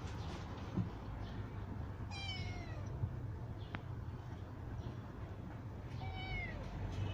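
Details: Kittens of rescued street mother cats, now grown and kept safe in a cat house: two high, falling meows with clear harmonics about four seconds apart over a steady low rumble.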